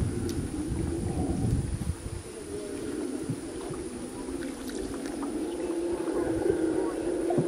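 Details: Loud, lion-like roaring of a howler monkey from nearby jungle by the Rio Madre de Dios; a continuous low growling drone with rough, breathy texture, steady and building slightly, alongside faint boat and water sounds.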